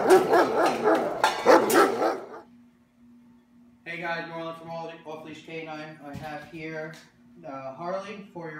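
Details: German Shepherd in obedience training, described as very protective of its owner, shy and nervous; a man's voice speaks first, then after a pause come harmonic, yelping barks and whines in short bursts with a steady low hum underneath.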